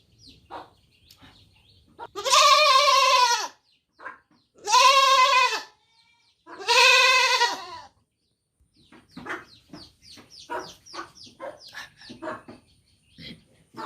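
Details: Kid goat bleating three times in a row, each loud trembling baa lasting over a second, followed by a run of quick soft clicks and rustling.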